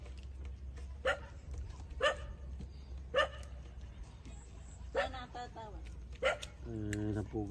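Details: Nursing puppies, 27 days old, at their mother's teats: brief bright yelps roughly every second, ending in a longer harmonic whine, over a steady low hum.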